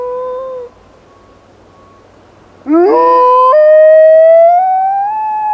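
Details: Rosco P Coltrane, a black wolfdog, howls during an urban blizzard: a brief steady tone fades, then after a pause a loud howl sweeps sharply upward and holds, rich in harmonics, slowly climbing in pitch.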